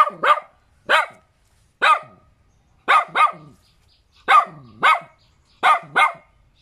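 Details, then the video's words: Small, cute dog barking steadily, single and paired sharp yaps roughly every second, each bark bright with a downward-sliding end, no other sounds. "เสียงหมาเห่า หมาน้อยน่ารัก เห่าดีจัง"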